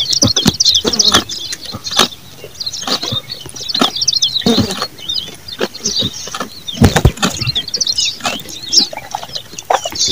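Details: Goat eating, its chewing heard as a steady run of dry, crunchy clicks and snaps with irregular rhythm; small birds chirp and twitter high-pitched throughout the background.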